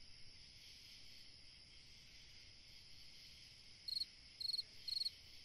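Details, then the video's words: Cricket on a summer night: mostly quiet steady high hiss, then three short, sharp, high-pitched pulsed chirps near the end, about half a second apart. "Chant d'un grillon dans une nuit d'été / Singing a cricket in a summer night"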